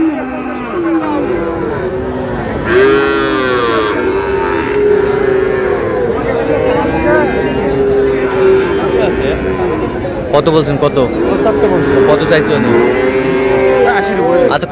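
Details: Drawn-out lowing from Sahiwal bull calves at a busy Pabna cattle market. Several sustained, slightly wavering moos follow one another, with market chatter and bargaining voices underneath.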